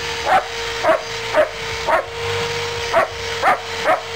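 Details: German Shepherd dog during rough play, giving short sharp barks about twice a second in an irregular series, over a steady background hum.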